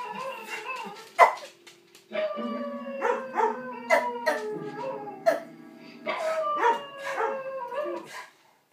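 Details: A pet dog howls along while a recording of a dog playing piano and howling plays. Bending, quavering howls and a sharp yelp mix with piano notes and low droning tones, and faint speech is heard.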